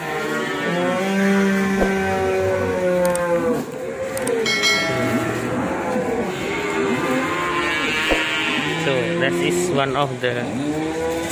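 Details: Indonesian Ongole cattle lowing in long, even moos with several held low tones, set against continuous background music.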